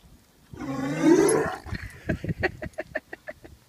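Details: A Great Dane gives a long rising, groaning whine, then a run of short, rhythmic grunting huffs, a sound he makes to get taken on his daily walk.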